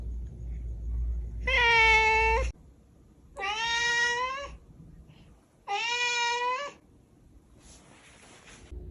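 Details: Three drawn-out, high-pitched kitten meows about one second each, evenly spaced, followed by a faint breathy fourth sound, with a low background rumble at the start.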